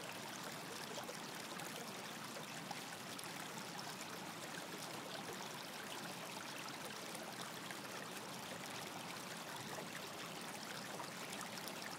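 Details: Quiet, steady rushing and trickling of a stream across the whole stretch, with no distinct animal calls.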